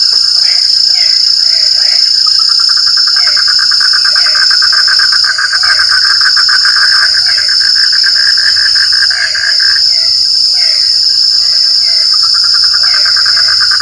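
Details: Frogs in the rain give short, throaty croaks in loose groups every second or so beneath a buzzing mid-pitched pulsed trill, while a piercing continuous insect tone fills the background.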